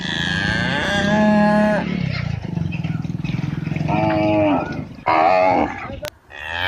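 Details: Calf of a village cow in India: a sustained moo at the start, then a low throbbing grunt, and two further short nasal moos rising and dropping, loud and close.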